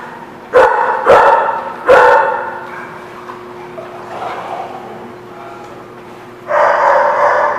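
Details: Three sharp, punchy dog barks in rapid succession at The Barking Lot, 17 October 2016, then a quieter stretch and a longer, noisier burst of barking near the end, over a low background hum.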